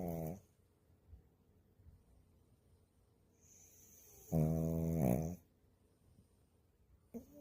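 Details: Puppy snoring during a nap: a brief snore at the start, then a loud drawn-out snore lasting about a second midway, and a short rasp at the end, with quiet room background between.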